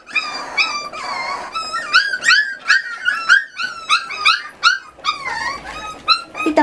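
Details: Miniature Schnauzer puppies from a litter of eight, 40 days old and being weaned and scolded by their mother, give high, thin whines and yips that rise and fall in quick repeated bursts.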